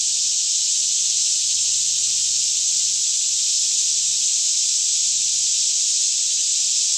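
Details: Cicadas fill a green forest near Franklin, Kentucky, with a daytime chorus around 10am on a still morning, Canon 5D Mk2 stereo: a constant shrill electric drone, steady in loudness throughout, with a soft low rumble underneath.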